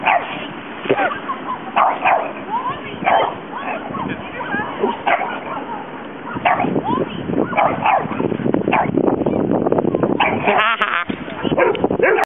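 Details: Dogs scuffling as Belle teaches a Rhodesian Ridgeback puppy a lesson, with a Boston terrier snapping at Sweetie; bursts of yips, barks and growls come and go over a woman's excited talk and background music.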